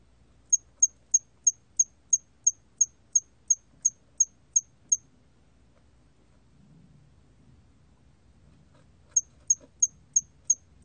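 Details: Korean 털귀뚜라미 cricket, recorded for the National Institute of Biological Resources in 2020, gives a run of about thirteen high clipped chirps at a brisk even pace, falls silent for four seconds, then resumes with six more.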